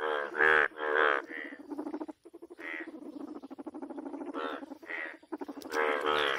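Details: A toad croaks in rough, pulsed bursts, some stretched into short rattling trills, while a red frog hunts and eats; toad.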